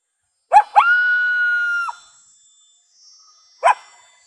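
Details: A coyote (Canis latrans) gives two sharp barks, then a steady, level howl, and ends with one more bark.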